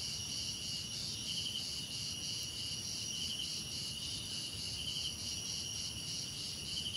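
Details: Continuous cricket chorus with layered high-pitched trilling, some bands pulsing in short regular bursts over a steady shrill drone, low background hiss underneath.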